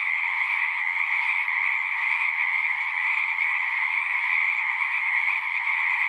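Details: Pond in a horse pasture, frog chorus captured on a Zoom 6 recorder: countless overlapping callers merge into a continuous buzzing drone, steady in loudness, its bright upper band dominating.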